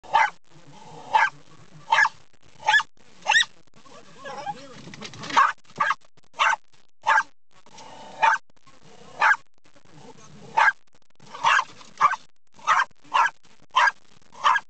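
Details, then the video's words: Pet dog barking at windshield wipers, which it seems to want to eat: about twenty sharp barks in quick bursts, some doubled, with a stretch of rustling and low background noise in the middle. "Dog love trucks... but windshield wipers are evil!"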